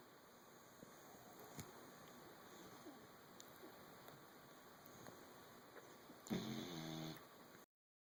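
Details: Sleeping puppy Clover, an English Bulldog and Basset Hound cross, lets out a single loud, rasping snore near the end after several seconds of faint room noise, then the sound cuts off.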